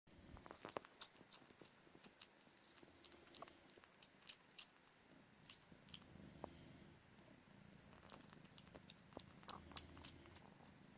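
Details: Low, steady rumbling purr indoors as Mini Me, a calico kitten about four months old, still suckles from her mother Punkin, with sharp wet sucking clicks and smacks scattered throughout.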